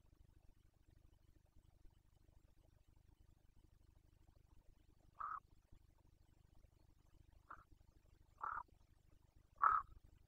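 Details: During the 2021 rut in Romania's Bucovina, a Carpathian stag gives four separate short, husky grunts at irregular intervals late in the recording, the last the loudest, with a faint low hum beneath.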